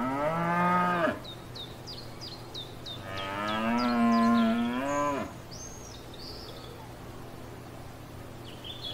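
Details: Cows grazing in a field: a short lowing moo, then after a pause a longer, louder drawn-out moo lasting about two seconds, with small birds chirping and a faint whistled call in the background.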